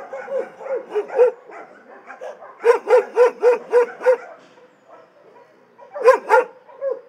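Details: Dogs kept in an animal shelter bark repeatedly, an irregular opening series, then a steady run of about six loud barks, a quiet gap, and a final pair of strong barks.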